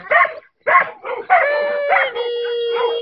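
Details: Trudy, a Giant Schnauzer awaiting adoption at a rescue, gives two short yelping barks, then drawn-out, steady-pitched whining howls with bright overtones, lasting over a second each and slightly wavering at the end.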